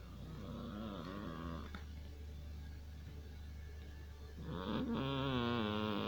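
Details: Persian cat asleep and snoring indoors, a steady low rumble under each breath, then a wavering, nasal, whistling snort that rises and falls near the end.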